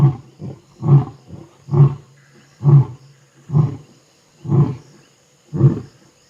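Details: Night roaring by two Vuyela coalition male lions in the Timbavati, thought to answer something far to the south: a run of seven deep, grunting pulses, roughly one per second, each fading quickly, in quiet bush.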